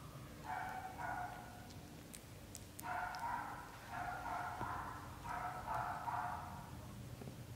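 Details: Meowing from a British Shorthair litter of black golden and blue golden kittens aged up to 30 days: repeated drawn-out harmonic cries, roughly five calls in bursts, with small tapping sounds between them.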